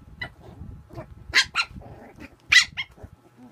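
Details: Puppy at play letting out quick, shrill yaps in close succession, two louder barks standing out among soft grunts, snorts and low growly mutters.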